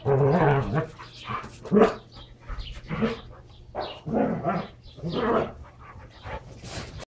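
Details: Two Standard Poodles, Brizz and Copper, wrestling hard while playing with their toys; rough growls and snarling bursts come in irregular bouts about once a second, with short barky peaks and a steady low hum beneath.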